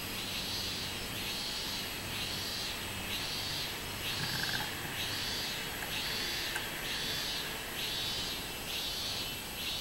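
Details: Minmin cicada singing in summer, recorded on 24 July 2016: a loud buzzing song pulsing in regular bursts about once a second, each swelling and fading, over steady high insect hiss with a faint bird note midway.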